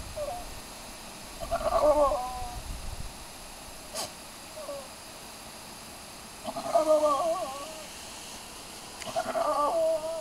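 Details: Domestic goat Romeo calling to establish dominance over another goat, Coal. Three wavering, nasal bleats arrive a few seconds apart over steady background hiss, with a sharp click near the middle.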